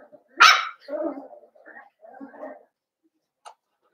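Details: A single loud, high yelp from blenheim Cavalier King Charles Spaniel puppies in their home pen, followed by softer murmuring sounds that may be a person talking quietly.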